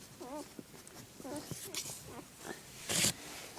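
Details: Mother dog with her pups, recorded January 2, 2011: short wavering high squeaks, like puppy whimpers, come in two brief bursts, with a woman's soft talk and a sharp rustle near the end.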